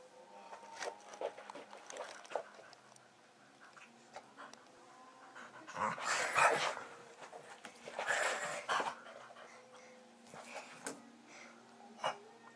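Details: Staffordshire Bull Terrier running around wildly in excitement: quick, breathy huffs and pants come in two louder bursts, mixed with scattered thumps and clicks from movement.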